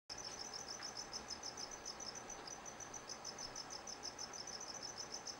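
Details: Crickets in a gargoyle gecko's vivarium chirp steadily in a high, thin, pulsing tone repeated several times each second.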